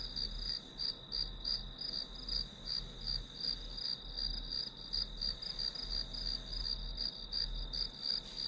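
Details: Grass insect chorus for a study session, a bright high-pitched trill broken into rapid beats roughly three per second, unbroken throughout, over faint low rumble.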